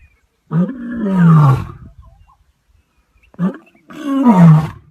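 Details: Lion roar in two bursts, each opening with a short rising grunt and swelling into a long, deep, falling moan, loud and close with a quiet gap between.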